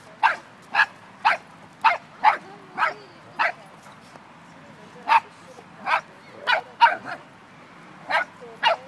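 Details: Dog, in an Irish Wolfhound and Dogo Argentino face-off, barking steadily: about fourteen crisp barks at a brisk, fairly even pace, pausing briefly around four seconds before resuming.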